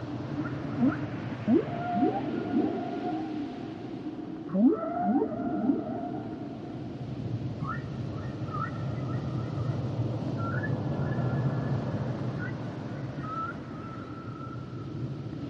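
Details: Humpback whales singing, with clusters of sharp rising sweeps, then long level high whistles held for a second or more and repeated in a series, set against a constant deep ocean hiss.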